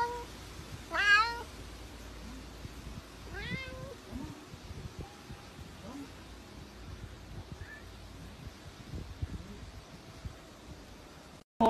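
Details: Domestic cat meowing: a loud, rising-then-falling harmonic meow near the start, a second shorter upward-curving meow about two and a half seconds later, then only faint scattered sounds over low background noise.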